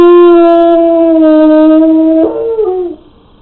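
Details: Hound dog howling alone at home, recorded by a pet camera with the owners out: one sustained, even-pitched howl lasting about two seconds, then breaking into a short wavering, falling ending before fading to quiet.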